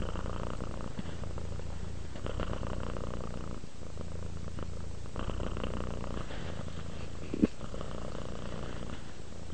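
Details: Softer purring from a sleeping, relaxed cat: a steady low throbbing drone that rises and falls with slow breathing, with a single faint click partway through.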